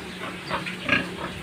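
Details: Short, low-set sow on a pig farm making a couple of soft, breathy grunts, the louder one near the end, against a constant low mechanical hum.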